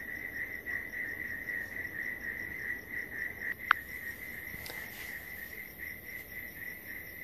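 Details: Crickets, heard outdoors on what may be a sunny day, keep up a steady, high, ringing trill throughout, broken only by a single sharp click.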